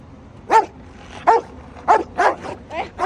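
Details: A Rottweiler barks aggressively from a pickup truck on a highway, a run of short, deep, gruff, explosive woofs at uneven intervals of about half a second, over a faint low rumble of road noise.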